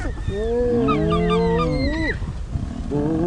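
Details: Spotted hyenas at a den in Djuma, Sabi Sand, South Africa, at sunrise on 20 Oct 2017 give overlapping drawn-out whining and groaning greeting calls, rising and falling together for about two seconds, then softer.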